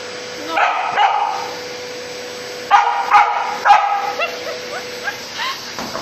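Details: Samoyed barking while fighting a vacuum cleaner indoors: a short burst of barks, then a pause, then three sharp barks spaced about half a second apart and softer yips; a steady appliance hum runs throughout, and a woman speaks.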